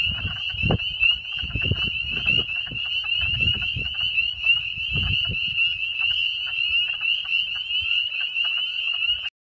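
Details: Chorus of spring peeper frogs at a Vermont farm pond in mid-April 2014, many high whistled peeps overlapping into a continuous ringing drone, with intermittent low thumps and rumble in the background.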